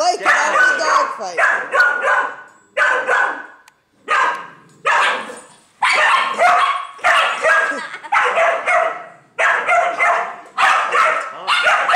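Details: Female Dachshund in a rage, defending her nest as a neighbour's dog tries to play. Twelve seconds of dense, rasping barks and growls in repeated clusters with brief gaps, and people's voices mixed in.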